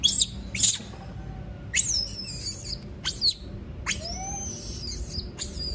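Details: A monkey that does not want to be left alone gives a few sharp, shrill shrieks. Each cry starts very high and sweeps steeply downward, separated by short pauses, over a faint background hum.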